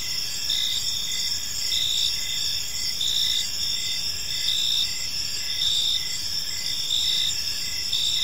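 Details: Park crickets at dusk produce a steady high trill broken into rhythmic chirps, roughly twice each second in places, layered voices overlapping above faint low environmental noise.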